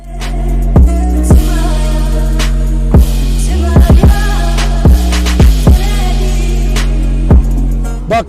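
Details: Loud hip hop style music with a heavy bass beat and sharp drum hits, with no animal voice.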